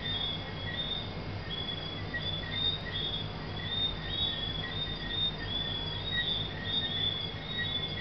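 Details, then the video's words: A night chorus of tree frogs in Negril, Jamaica: high, thin whistled chirps repeated steadily from many callers at once. "Singing Tree Frogs at Couples Negril, Jamaica."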